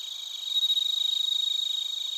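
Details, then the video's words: Crickets and a bell cricket singing in Narita, Chiba, Japan, on a TASCAM Portacapture X8 recorder: a clear ringing tone over rapid, rhythmic high chirps that swell in loudness, then ease slightly. "スズムシとコオロギの鳴き声 - Chirping of crickets"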